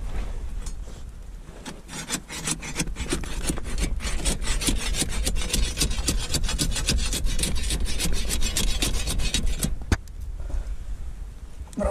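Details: Rapid scraping and rubbing, like wood being rasped or handled close to the microphone, runs for about ten seconds over low rumble, without any animal voice.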